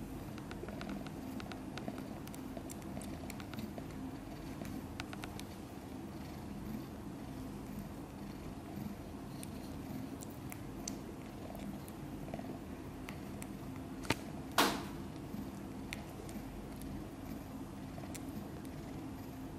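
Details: Low, even purring comes from kitten Guitar, a few days old and born with four siblings to mother cat Chan, while it sleeps soundly; scattered small clicks, then a sharp brief knock near the end.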